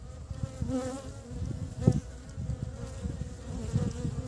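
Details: Honey bees carrying pollen home to build the nest in early spring, heard close by: a loud, deep, throbbing buzz that surges and fades in short pulses as individual bees pass near, with a strong swell near two seconds.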